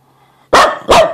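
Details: Upset Pembroke Welsh Corgi giving two loud, harsh barks in quick succession, the second following about a third of a second after the first, each one bright and ringing. A person speaks to the dog just before.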